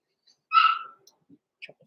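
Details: Six-week-old blenheim Cavalier King Charles Spaniel puppy in a home puppy pen, giving one short high whimper lasting under half a second, then faint small noises and quiet.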